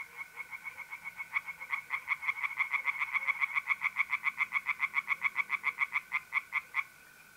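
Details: Singing tree frogs in a north-east Italian pond on a mid-April night: scattered croaks quicken into a dense, rapid pulsing series that stops abruptly near the end, with a constant mole cricket trill underneath.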